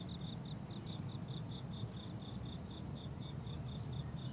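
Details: Crickets on a summer meadow: bright, high chirps in quick bursts that fade briefly near the end before resuming, over a low rural rumble.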